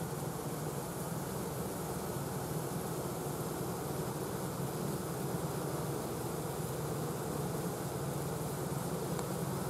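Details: Swarm of honey bees after collection, the remaining workers marching one after another along a plank toward the new hive entrance to join their queen; continuous low droning hum, even in loudness throughout, with a broad airy hiss above.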